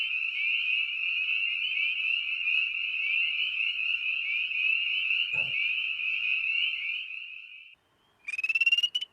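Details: Spring peepers (Pseudacris crucifer) in the Chicago Wilderness region give a dense, continuous chorus of high, overlapping advertisement peeps, an example of call index three (continuous chorus) in frog surveys.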